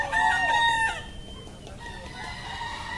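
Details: Crowing bekisar cock at a Pratama class semi-final of a national natural-voice contest in Yogyakarta, 21 January 2018: one loud, bright, ringing crow lasting about a second, then fainter distant crows and background chatter.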